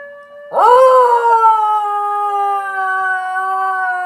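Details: Basenji dog yodeling at a fellow Basenji shown on TV: a loud sudden onset after half a second, rising then settling into a long sustained, slightly wavering howl-like tone that holds steady to the end.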